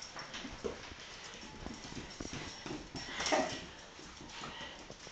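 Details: A female Basenji gives brief, high, wavering whines and yodel-like yelps amid shuffling, excitedly greeting her owner's mother, whom she loves more than her owner.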